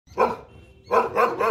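A French Mastiff gives one bark, a short pause, then three quick, loud barks.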